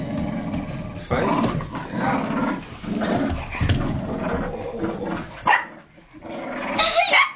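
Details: Benji the Kooikerhondje and Trixi, a Tibetan Terrier-Poodle mix, tug together on a dog toy, giving dense, low rumbling growls in bursts. A brief pause near the end is followed by higher, sharper yelping sounds.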